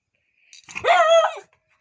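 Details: A female beagle, being playful and naughty indoors at home, gives a single loud, drawn-out bark with a harmonic, slightly howling tone.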